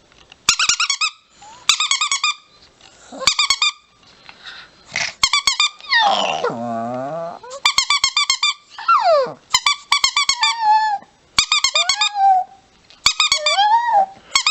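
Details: Chihuahua indoors in a small room, making high whining and yelping sounds, including one long wavering howl-like whine that slides down in pitch. Sharp squeaky bursts repeat throughout between the calls.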